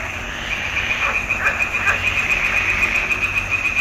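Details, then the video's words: Frogs chorus in a swamp pond in June 2021, recorded with a Nikon D780. A dense, steady trilling band carries throughout, with louder pulsed croaks every half second or so over a low background rumble. "Il canto delle rane in palude"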